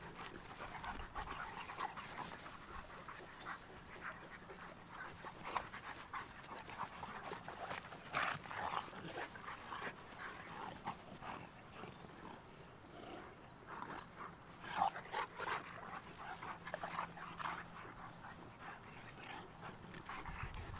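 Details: Two Cane Corso dogs, Tucker and Nessa, from Numenor Kennels, at playtime together. Quick, breathy bursts of panting run throughout, mixed with soft scuffling noises. A sharper, louder burst comes near the fifteenth second.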